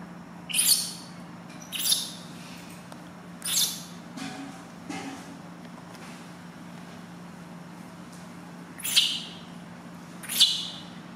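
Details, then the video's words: Loud cries of a newborn monkey being bathed for the first time by its mother: piercing high screams in short bursts, four close together, then a pause and two more near the end, with a constant low hum. "First Bath [Cry Very Loud] Newborn Baby Monkey"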